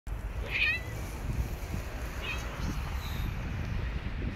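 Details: Hungry street cats climbing onto a lap outdoors; two short, faint meows rise and fall, one near the start and another about two seconds later, over steady low traffic-like rumble.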